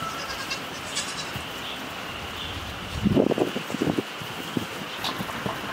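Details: Baby goats bleating: a short burst of wavering, quavering bleats near the middle, over steady background hiss and a faint higher hum.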